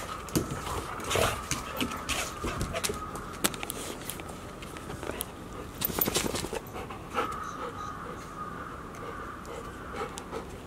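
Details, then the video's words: Golden Retrievers at Ain village, 4 May 2019: year-old littermates Asahi (male) and Chiwa (female) tussling as Rowa looks on; rapid breathy panting and scattered scuffle clicks, with a steady faint tone running underneath. "じゃれあうアサヒ♂とチワ♀そばで見ているロワ 2019.5.4（ゴールデンレトリバー）"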